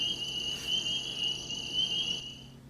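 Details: A spring peeper chorus in spring at Dragonfly Pond, Tenhave Woods, Royal Oak: thousands of these small frogs call together, their high peeps blending into one shrill, steady ringing tone.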